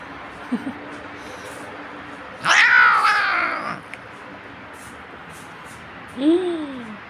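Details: Pet cat named Limon complaining while being groomed with a glove comb to reduce shedding, letting out a long drawn yowl, then a short falling meow, with a woman speaking Turkish softly nearby.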